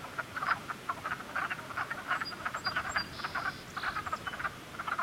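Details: A cluster of frogs calling in spring: dense, overlapping short pulsed croaks repeated rapidly without pause, many callers at once, with a few faint higher chirps above the chorus.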